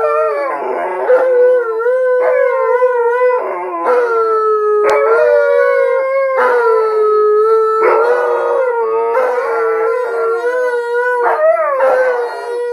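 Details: Three dogs howling in unison, Alaskan Malamutes joined by a Blue Bay Shepherd: continuous layered howling with several voices holding steady notes, frequent breaks and wavering pitch shifts, loud throughout.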